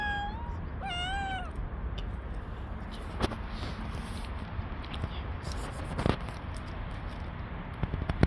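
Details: Street-living stray cats, dozens of males chasing one female; two clear, drawn-out meows rising then falling in the first second and a half, followed by steady low background rumble and scattered knocks.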